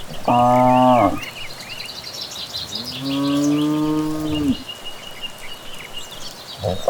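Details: Village cattle heading back from pasture on an evening path; two long harmonic lows, one short and one drawn out and level, while evening birds twitter behind them.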